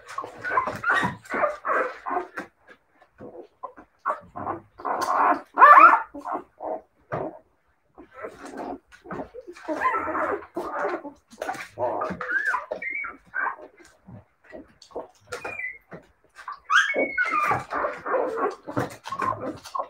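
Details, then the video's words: Siberian Husky puppies giving a dense run of short yips, whines and squeals in bursts with brief pauses, several voices overlapping, a few rising whistled whines near the end. "siberian husky puppies"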